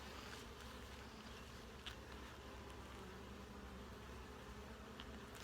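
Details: Honey bees in a hive opened for a full inspection checking for eggs, larvae and capped brood: a steady, dense low hum of many wings fills the whole stretch, with a few faint clicks from handling the frames.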